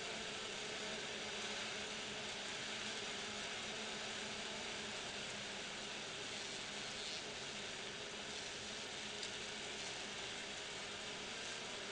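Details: Steady broadband hiss fills the whole recording, with no animal calls.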